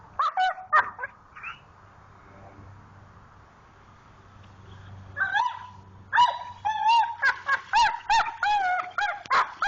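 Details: Digging for a rock in a creek, the Pit Bull Jayde gives wavering, moaning whines and sharp yips, a cluster at first, then a quiet pause with low water rumble, then a long busy string of squeals.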